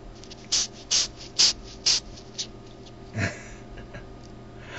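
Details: A ten-lined June beetle found in Southern California gives a few short, breathy hisses in quick succession while being handled and trying to fly.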